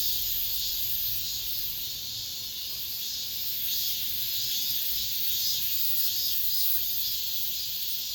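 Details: Cicadas singing in an apartment complex, described as the last cicada sound of this summer: a steady, high-pitched hissing drone that never breaks, swelling and easing slightly every few seconds, with no other clear sounds.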